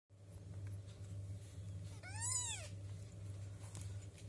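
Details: Two-week-old kitten asking for milk, one clear rising-then-falling meow lasting about half a second, thin and high with bright overtones, over a steady low indoor hum.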